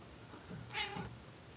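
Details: Indoor pet cat on an attic ladder, 'talking' back to a woman: one clear bright meow, rising then falling, almost human-sounding, with faint room noise around it.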